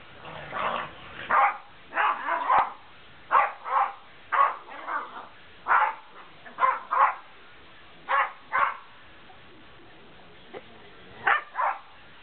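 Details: Two pet dogs, a big white Malamute named Denali and a little brown Puggle named Bentley, playing together; short rough barks and growly yips come in bursts of two or three, with brief quiet gaps between.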